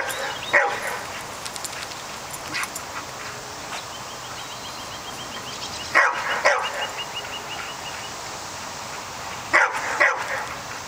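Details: A pet dog barks at a groundhog that is beating it outdoors; a faint bark early, then pairs of loud sharp barks around six and ten seconds, with light bird chirps in the background.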